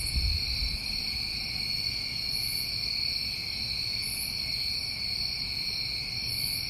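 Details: Unbroken high trilling of many New England summertime crickets, two steady ringing bands, with spaced very high short pulses every couple of seconds and a low thump at the start.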